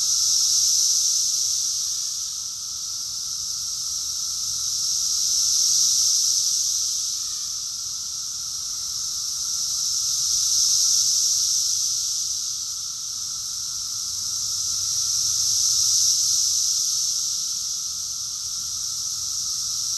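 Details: Cicada chorus in Rockville, Maryland, USA, June 2021: a steady shrill wall of buzzing that rhythmically swells and ebbs, peaking roughly every five seconds, with a faint constant lower whine underneath.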